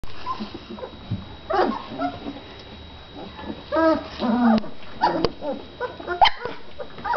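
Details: Great Dane puppies giving short, high, tonal yelps and whimpers in scattered bursts, some rising then falling, with quiet gaps between and a faint steady hum beneath.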